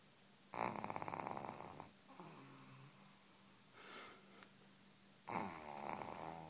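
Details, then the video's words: A sleeping pug puppy only a few weeks old snores indoors, giving harsh buzzing rattles with a faint whistle, a softer wheezy exhale in the middle, then another loud rasping breath. "Snoring Pug dog of a few weeks old"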